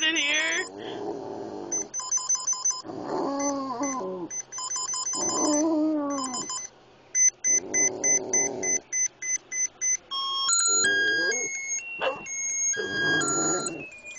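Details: Oscar, a small epileptic Boston Terrier pet, is made to howl indoors: drawn-out wavering howls of a few seconds each, repeated several times, over a looping electronic ringtone melody, with brief human speech between them.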